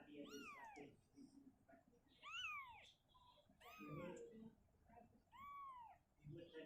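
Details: Domestic cat Shizuka, a mother moving her kitten from a cabinet back to an open area indoors: four high, arching meows spaced over several seconds, with soft low murmuring and room noise between them.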